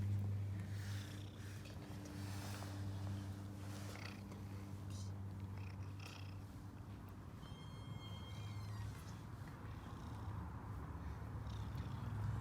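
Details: Happy stray cat, female, ginger and white, purring after being found and fed; a long steady low rumble with rapid pulses, light rustling and a brief high tonal squeak midway.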